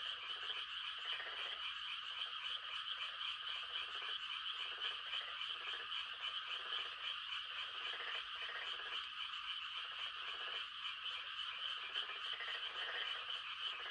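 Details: Countryside frogs calling to mate at night in rice-planting season. Pulsed croaking bursts come again and again beneath an unbroken high-pitched chorus of many more frogs trilling together.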